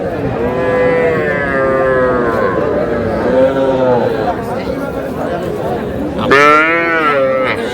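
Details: Small young bulls and heifer calves at a busy cattle market in Madaripur; several drawn-out, harmonic moos, one rising sharply near the end, amid bargaining chatter and crowd noise.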